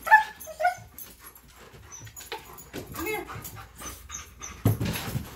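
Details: Tonka and Monroe, dogs so excited before a bikejoring outing that they can't sit still for leashing, open with rapid high-pitched whines and yips, then rustling and a voice.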